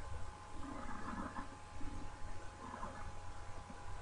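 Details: Iberian lynx cubs of the female Boj, born 4 March 2012, in captivity at the El Acebuche Iberian Lynx Breeding Centre in Doñana; soft, brief mewing calls near the start and again toward the end, over a steady low electrical hum.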